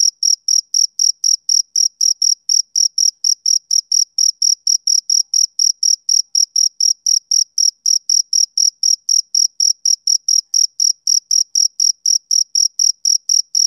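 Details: Steady trilling chirps from a male cricket on a summer evening, the high, thin pulses following one another roughly four times a second for the whole stretch, slightly uneven in spacing, over a silent background.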